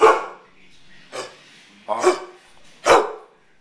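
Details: Pet dog barking at home while its owner asks what is wrong: four sharp, loud barks spaced roughly a second apart, with quiet pauses between them.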